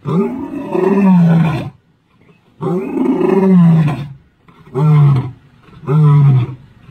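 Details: Old Jock, a male lion, roaring on 10 October 2023: two long, deep, moaning roars followed by two shorter grunting roars, each about a second long, with quiet gaps between them.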